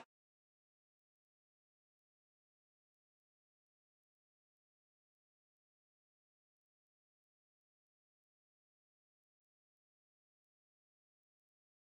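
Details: Near-total silence, with only faint scattered clicks and no animal voice. No calling insects, birds or other creatures can be picked out.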